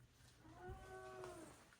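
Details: Miss Muffy, a pet cat in a household of four cats including three Maine Coons, meows indoors in the morning while greeting at the door and gathering for treats: a soft, drawn-out harmonic meow lasting about a second, fairly quiet, with faint room noise.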